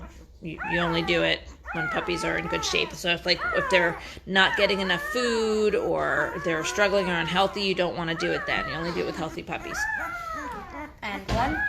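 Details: Chorus of whining five-day-old Great Bernese puppies, Great Pyrenees crossed with Bernese Mountain Dog, with dense overlapping arched squeals, one long sliding whine in the middle, and short yips breaking through.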